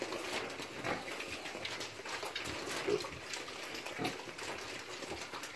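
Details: Hungry micro pig piglets, domestic, grunting in short, rough bursts that repeat irregularly over a steady hiss of background noise.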